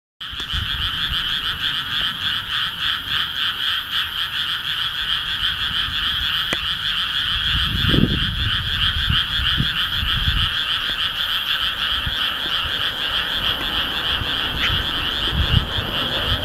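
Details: Frogs singing in a dense, unbroken chorus of overlapping croaks, a steady rasping wall of sound that pulses slightly, with a few low thumps and knocks underneath.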